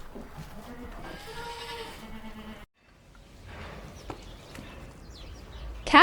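A goat gives a wavering, nasal bleat of about two seconds, with a spoken word just before it and faint background noise after a brief silence.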